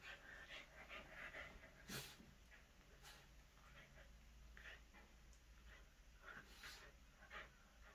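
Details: Shih Tzu × Corgi mix dog panting indoors while fighting a toy shark: quick, breathy, noisy puffs in short bursts, with a person talking alongside.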